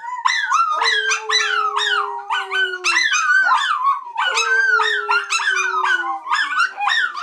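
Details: Three dogs howling together, well rewarded for their efforts: overlapping high wavering howls that rise and fall, broken by short yips and barks, while one holds a lower, steadily sliding note beneath the chorus.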